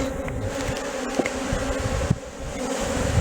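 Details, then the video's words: Continuous droning buzz from bees in Valderejo nature reserve, a level hum with overtones, over low rumbling handling or wind noise and a few soft knocks. "Erleak Valderejoko parke naturalean / Bees at Valderejo nature reserve"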